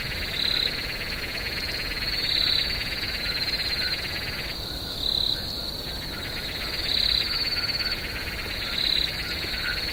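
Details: Swamp at night with crickets: a shrill sustained trill plus louder chirps recurring every couple of seconds over a thick, buzzing lower chorus that briefly drops out midway.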